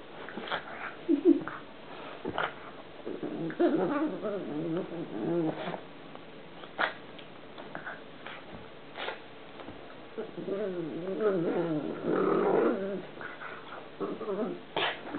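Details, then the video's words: Playing pet pug indoors in a small room, making an odd, funny noise: repeated throaty, wobbling grumbles and moans in bursts, mixed with sharp snuffles and clicks, with quiet gaps between. "OUR PUG, PLAYING, FUNNY NOISE"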